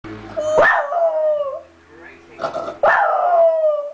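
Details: Zoey, a dog, howls after her sister was taken to the vet and driven off in the car; two long falling howls with a brief murmur between them.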